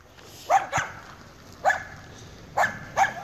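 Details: Jake, a 7-month-old Weimaraner in dog training, gives five short, sharp barks: a double bark, a single one, then another quick pair, over a quiet background.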